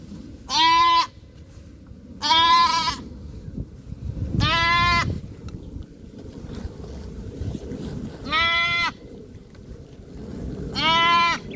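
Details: Goat at a small farm calling after its missing young: five loud, wavering nasal bleats repeated roughly every two to three seconds, separated by low rumbling background noise.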